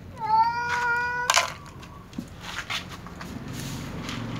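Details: Loud meowing between a tom cat and a ginger cat before they eat together: one long, steady, slightly rising meow lasting about a second, then a sharp clatter and soft rustling.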